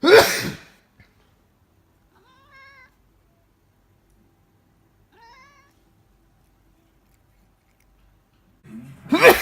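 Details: Burmese cat reacting to its owner's sneezing: two short, wavering, mid-pitched meows spaced about three seconds apart, framed by loud human sneezes at the start and end, with near silence between.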